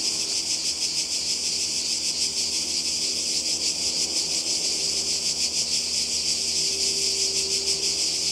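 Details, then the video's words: Loud buzzing of many cicadas beside the sea in Croatia during summer 2020, a steady high sizzle throbbing in fast pulses, with a faint low tone underneath. "Kroatien Zikaden und Meer"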